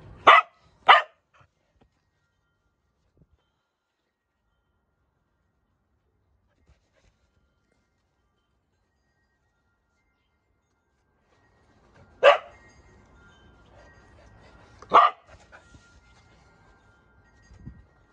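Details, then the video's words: A Corgi at play: two quick barks at the start, a long quiet stretch, then two more single barks with faint background rustling. "Corgi playing"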